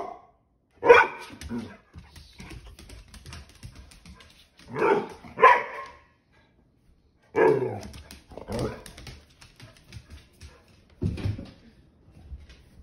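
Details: Angry male pit bull protesting his tail being grabbed barks in loud, rough single and double bursts spaced a few seconds apart, about six outbursts, with quiet pauses and slight indoor rustling between.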